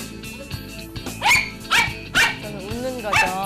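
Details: A poodle gives sharp, high-pitched barks in quick, excited bursts as its owner plays happily with it, with soft music behind. This is play barking.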